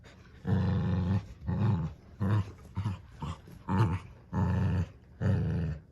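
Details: Two dogs pull against each other over a new toy duck, growling in repeated low, gravelly bursts about every half second to second, some long and some short.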